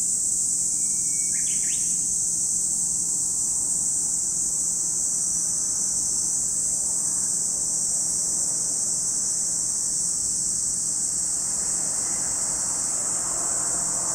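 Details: Cicadas droning at Lake Kamo on Sado, Niigata Prefecture, Japan: a continuous sharp high whine that never varies, with a short bird chirp early on and a soft low background hum.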